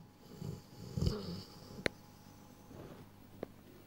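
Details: A Rottweiler just over 1 year old gives a single low, rumbling snore on one slow breath.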